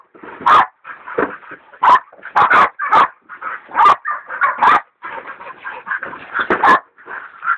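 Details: Two hog dogs, one a leopard dog still in training, baying a big sow hog: harsh, loud barks and bawls in rapid bursts, roughly two per second, overlapping voices with short gaps.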